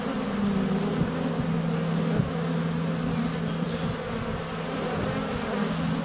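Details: A steady, deep hum from a crowd of honey bees in flight at their hive entrance on a sunny February day, GoPro Hero 7 Black close by, with occasional taps of landing bees.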